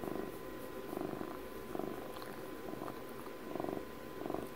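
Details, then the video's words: Close-up purr of Puppy, a twelve-year-old house cat: soft vibrating rumble in uneven surges about three in under five seconds, quiet indoor background with a faint hum. "12 minutes of ASMR CAT PURRS for Puppy's 12th birthday"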